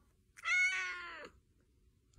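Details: Domestic cat indoors giving a single clear, drawn-out meow of about one second, bright and harmonic, rising slightly then falling at the end, in a quiet room.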